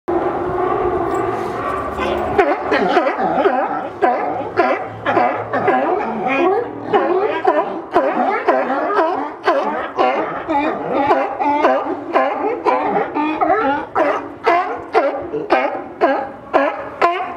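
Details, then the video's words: Sea lions on a wharf beside the Buoy Beer microbrewery, arguing among themselves: a dense chorus of harsh, overlapping barks, roughly two per second, rising and falling in loudness with no pauses. "Sea Lions arguing over the bar bill"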